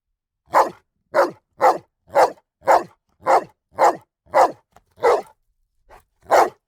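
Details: Rhythmic dog barking, about nine regular barks roughly half a second apart, a brief pause, then one more bark; clean, quiet background.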